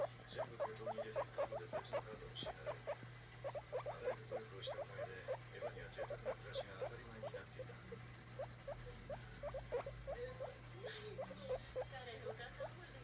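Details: Pet guinea pig wanting to be stroked, squeaking rapidly: dense trains of short rising chirps, several per second, continuing almost without pause over a low steady hum.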